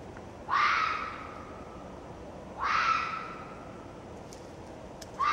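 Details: Red fox vixen screaming repeatedly: harsh, hoarse cries roughly two seconds apart, each sharp-onset and fading over half a second, with a third scream starting at the end and faint clicks between.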